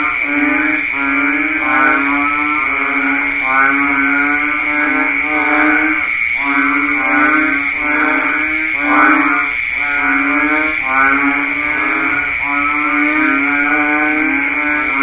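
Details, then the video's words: Banded bullfrog chorus during the rainy season: repeated moaning, sheep-like calls stacked in harmonics, pulsing in waves with brief dips near six and nine seconds, and an unbroken high whine behind. "ស្តាប់សំលេងសត្វហ៊ីងនារដូវភ្លៀងធ្នាក់ / Sound of Banded Bullfrog"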